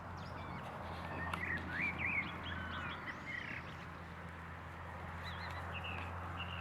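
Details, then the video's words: A litter of Boston Terrier pups at six weeks old squeaking in quick, bending whines that peak in the second second, then softer high peeps, all over a constant droning background hum. "boston puppies 6 weeks"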